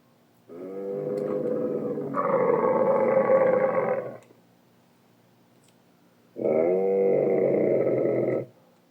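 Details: Dromedary camels recorded in the Sahara in 2017: two long, harsh, rasping groans, the first about three and a half seconds with a louder rising second half, then a pause and a two-second bellow with rich gurgling harmonics.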